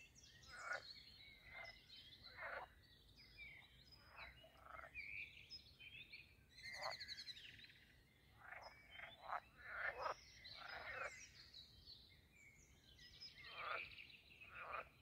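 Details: Frogs calling at a pond in the grounds of Castle Aerwinkel, Posterholt, Netherlands, during mating season: many overlapping short, harsh croaks in rapid bursts, with a brief harmonic tone near the middle.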